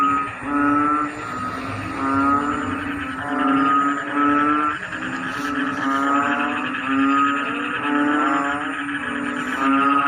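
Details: Frogs in rice paddies call together as the rains begin, like a choir. Overlapping rattling, pulsed croaks repeat about every second over a constant low hum, with a thin high-pitched tone above.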